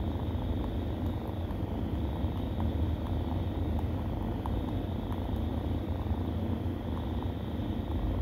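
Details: Nursing kittens with a steady, low, rumbling purr that drones on without a break, plus a faint continuous hiss above it.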